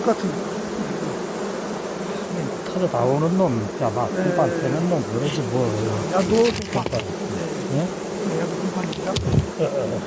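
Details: Honey bees at a beekeeping apiary offering colonies, a droning buzz with wavering, swooping tones as individual bees fly close past, rising and falling over a steady hum of the swarm.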